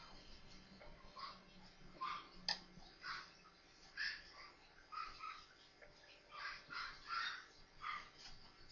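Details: Newborn Maltese puppies, four of them, at play: short high squeaky whimpers come in bursts about every half second to a second, with a soft background hum.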